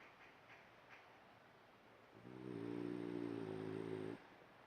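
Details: A sleeping, dreaming French Bulldog gives a single drawn-out, nasal, droning snore lasting about two seconds.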